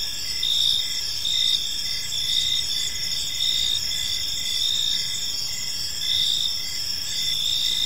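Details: Gentle chirping of many crickets in a serene park at evening, a constant high ringing chorus with soft regular swells about once per second and a quiet low hum underneath.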